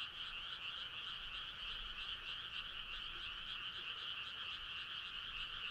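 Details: Midsummer night frog choir on a starry country road: a dense, even, pulsing trill at two bright pitches, with faint regular beats, fills the whole stretch without pause against a quiet background hiss.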